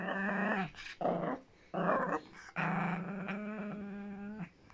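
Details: Miniature Pinscher growling indoors, four rumbling bursts with a steady low tone and rich harmonics, the last growl held about two seconds, broken by short pauses and a faint whimpering edge.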